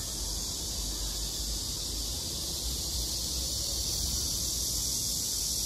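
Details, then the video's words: Summer-night cicada chorus: an even, shimmering high-pitched drone runs unchanged from start to finish, slightly swelling toward the end, with muffled low background noise beneath. "매미소리가 정겨운날"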